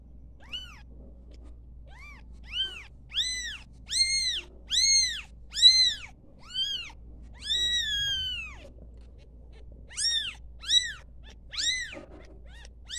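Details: Newborn kittens at play giving high, thin meows, each arching up then down, about a dozen in quick irregular runs with brief pauses, over a steady low hum.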